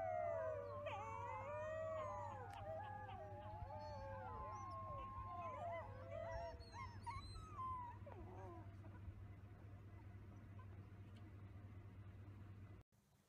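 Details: A group of young wolf pups howls in overlapping, quavering glides that fade out over the second half. A constant low hum runs throughout, and the clip ends in a sudden cut.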